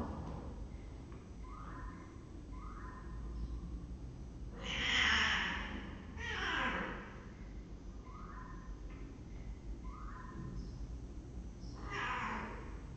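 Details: Female kitten Brown stands up to the male cat Pepsi, showing who's boss in a power demonstration; three harsh, noisy hissing bursts, two close together and a third several seconds later, over a faint repeated chirping pattern in the background.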